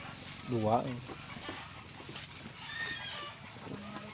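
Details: Garut sheep ewe giving birth to triplets: one loud, wavering bleat with a quavering rise and fall just after the start, then low farmyard murmur with faint chicken calls and a human voice in the background.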